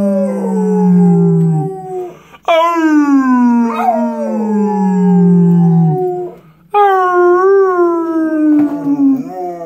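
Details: A pit bull sings along with its owner in long, mournful howls that begin with a sharp high onset and glide down, repeated three times, with a lower sustained voice droning beneath in places.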